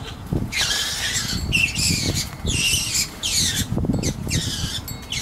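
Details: Skunks in a spat, screeching outside in a hedge beside a driveway: loud, harsh, broken squeals in bursts of about half a second, repeated several times, over rustling and low background noise.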